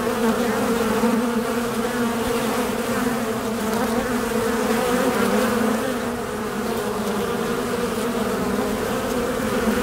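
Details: A steady, dense hum of many honey bees buzzing together, low and droning without pause, recorded in Bolinas, California, in 2021.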